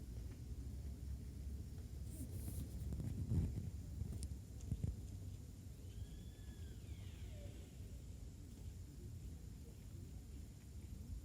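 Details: Sika deer at Nara Park, 17 October 2019: one drawn-out, high whistled call that arches up and then slides down, about a second long, over a steady low rumble of traffic and wind, with a few brief knocks.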